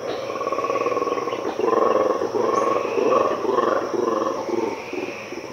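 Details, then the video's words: Black and white colobus monkey, also called mantled guereza, in Ethiopia's cloud forest at 5am: throaty rattling roars in a series of rough pulsed bursts, fading at the end, over a constant high insect hum. "The terrifying sounds of Colobus monkeys"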